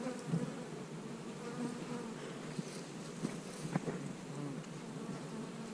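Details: Honey bees buzzing during hive splitting on split day, with queen cells in the splits; a steady low droning hum fills the clip, broken by a few faint clicks and knocks.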